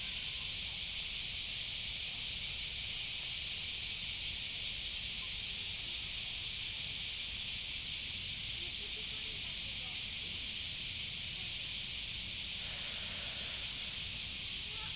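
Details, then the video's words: Cicada, known in Japan as semi, calling: a steady, dense, unbroken hiss-like buzz held at high pitch throughout, with no breaks or change in pattern from start to finish. "Voice of cicada.(Semi.)"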